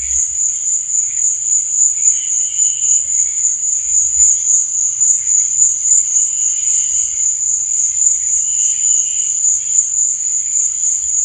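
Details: At night, crickets keep up a constant high, ringing trill, with brief louder chirping bursts every couple of seconds and a gentle low background rumble.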